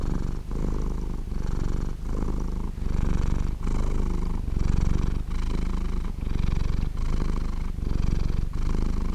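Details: Domestic cat purring softly and steadily, a dense low rumbling drone that swells and fades with each breath, roughly every 0.8 seconds, recorded close up indoors with no other sounds.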